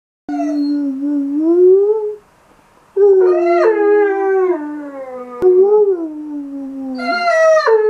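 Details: Weimaraner dog recorded in May 2016, moaning to go to the park again an hour after a visit: three drawn-out, tonal, singing moans, the first steady and rising, the next wavering and sliding down, the last starting high, with a short pause between.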